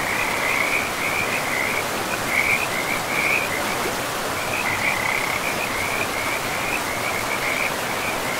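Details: By a river in a pristine forest, frogs give high, buzzy trilled calls in short repeated bursts with brief gaps, carried on a steady wash of rushing river noise.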